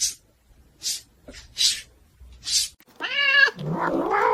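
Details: Domestic cat giving five short, breathy hisses in quick succession, then a clear, tonal meow lasting about half a second, followed by a lower, rougher drawn-out vocal sound.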